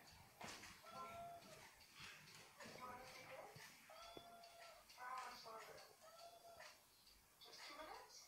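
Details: Domestic cat searching for a phone hidden under a blanket that plays a recorded kitten voice; a series of about six arched, tonal meows, each under a second, come in quick succession over a quiet indoor background.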